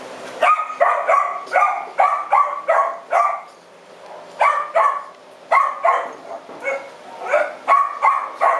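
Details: Punk, a female French Bulldog living at the TUAPA shelter, recorded 4 July 2010. Rapid, yappy barks come in bursts of several, roughly two per second, with a short pause mid-clip. The background is quiet.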